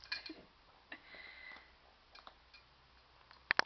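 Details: Faint ticking and scattered clicks in a quiet room, ending with two sharp knocks. No animal voice is heard.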